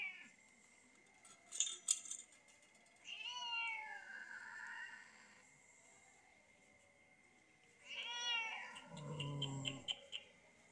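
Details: Sick cat held for treatment by madrasa girls: two drawn-out, complaining meows roughly five seconds apart, the second ending in a low grumble, with a steady whine and scattered clicks and rustles between calls.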